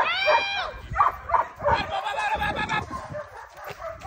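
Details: Nine-month-old German Shepherd in two-man attack practice. It opens with a high, strained whining bark rich in overtones, then gives sharp barks about every half second before blurring into mixed noise with a human voice.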